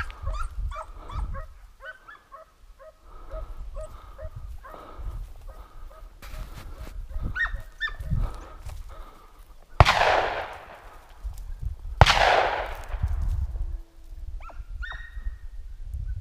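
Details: Hunting dogs during a wild boar hunt near Gölpazarı, Turkey, with a hunter moving toward the sound. Rapid bursts of sharp barks and yips come in the opening seconds, then scattered barks with loud rustling thuds and wind.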